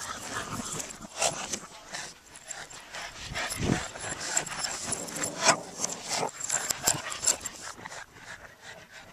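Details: Two Boston Terriers in a playful reverse chase, giving short, sharp, irregular barks and yips amid scuffling and panting, with a person's voice faintly in the background.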